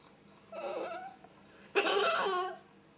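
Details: During mating between a male ferret (hob) and a female (jill), two raspy, squeaky squeals sound indoors. The first is soft and wavering. The second is louder and harsher, lasting under a second.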